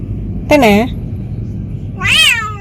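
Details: Talkative pet cat meowing while travelling for the first time on a sightseeing outing: two clear harmonic meows, the first falling and low, the second higher and arched, over a low rumbling background.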